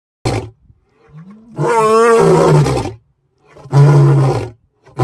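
A lion gives deep, rumbling roars in loud bursts, separated by brief silences.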